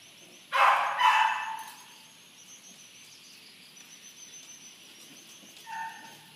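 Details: Corgi dog making a quick double bark, then quiet, then one faint, shorter bark near the end, with low background hum.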